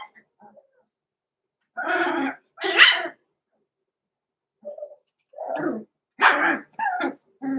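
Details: Roman and Blue, six-week-old blenheim Cavalier King Charles Spaniel puppies in a home pen, let out paired high barks, a pause, then a scattered series of yaps and whiny barks.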